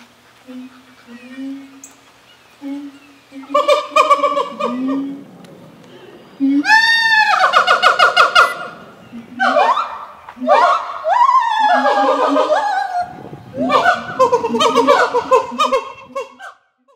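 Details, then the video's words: A siamang gives loud, swooping whoops and barks that rise and fall in quick, ringing bursts, amplified by its inflatable throat sac; such calls can carry up to 2 miles. "Siamang Call"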